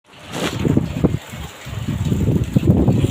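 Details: Outdoor wind buffeting the microphone, with low rumbling and handling noise throughout.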